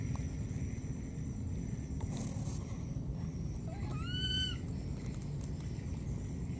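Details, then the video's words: A lost baby monkey calling for its mother gives one clear tonal cry. It slides upward, then arches and falls, lasting about half a second over a steady low rumble and faint high background hum. "This lost baby monkey keeps calling for its mother"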